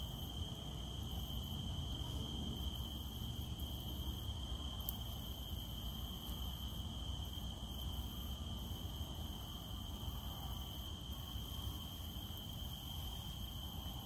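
A cicada drones on one high, even note without pause. Heavy rain patters underneath, a dense low rushing that fills the background throughout.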